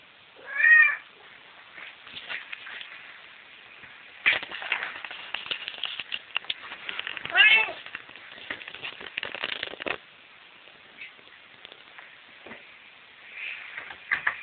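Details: A pet cat at home gives a clear harmonic meow near the start and another midway, with people talking over much of the recording and some rustling between calls.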